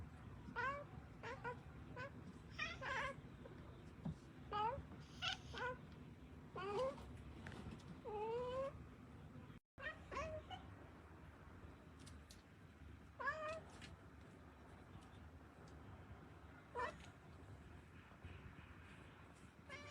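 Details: Two talkative domestic cats calling back and forth indoors, said to keep talking even in sleep: repeated short rising and falling meows and chirps, some with wavering trills, scattered irregularly across the clip, with a brief break midway and low background hum.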